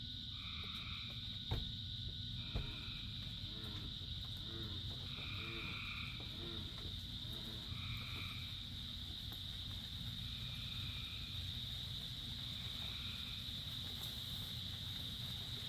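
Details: Many frogs call in the rain: short two-toned notes repeat every two to three seconds over soft pulsed croaks, with a steady high-pitched drone and a constant low hiss of rainfall throughout.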